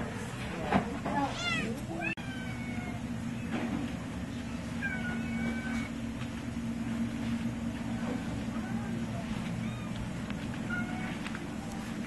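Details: Feral and stray cats, live-trapped, awaiting spay and neuter at the Kalamazoo Humane Society, Michigan; repeated bending meows and drawn-out wails from several cats, set against constant low droning hum and a sharp click.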